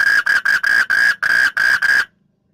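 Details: Frog calling at night: a loud, harsh, nasal note repeated about four times per second, eight even pulses in a fast run that then stops abruptly, leaving near silence.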